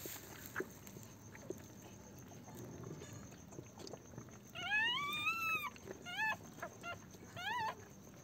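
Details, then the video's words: Newborn Pomeranian puppies on their first day after a home delivery: a long, tonal whine rises and then falls, followed by three shorter, sharply bent whimpers, over a quiet, softly rustling background. "pomerian puppies first day"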